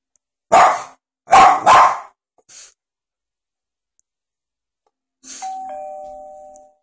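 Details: Sundae, a pet dog, reacts to iPad ringtones (Doorbell, Bark, Duck, Sonar, Sci-fi): three sharp, harsh barks in quick succession, a faint short sound, then a steady electronic ringtone tone that holds for about a second and a half.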